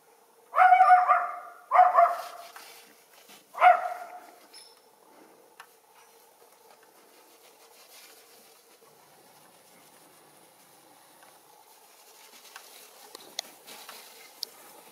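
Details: Young Schipperke dog, one of two enjoying a snowy backyard with deer nearby, gives three sharp, harmonic barks in the first four seconds, the last one separate, followed by near silence with faint rustling and clicks.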